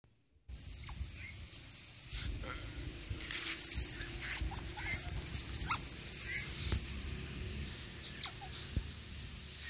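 A tame otter gives thin, high-pitched squeaks and whimpering chirps in uneven bursts.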